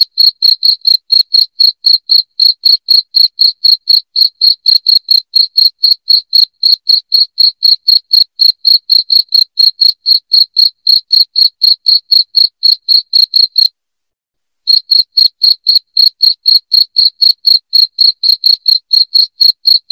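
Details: Loud cricket chirping, played to drive rats out of a house: sharp high pulses about four per second in a steady run, a brief silent gap near the end, with no other sounds.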